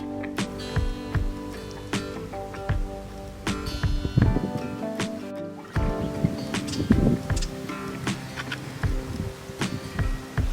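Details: Music with plucked and sustained notes plays over low rumbling and knocking from vehicles and work noise, and no animal calls can be heard.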